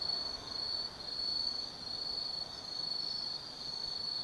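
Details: Autumn insect chorus at night at Tsukimi no Mori in Gifu Prefecture, Japan: a bright high continuous trill swelling and dipping in short phrases under quiet background noise.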